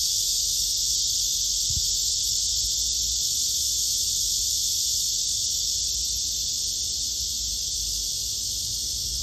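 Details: Black cicada, from a male and female comparison: an intense sustained sizzling buzz without pauses, with a single faint low knock near the start.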